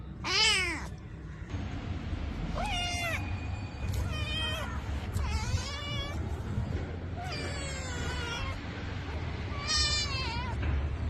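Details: A domestic cat, one animal heard from kitten to adult age, gives five separate meows with clear harmonic bands, some rising then falling, others wavering and drawn out, spaced about two seconds apart over a low steady background hum.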